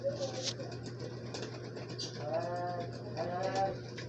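A Persian cat gives drawn-out, slightly wavering meows over a steady low hum.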